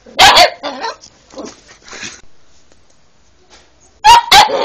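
An Alaskan Malamute gives loud, short barks with softer, wavering vocal sounds between them.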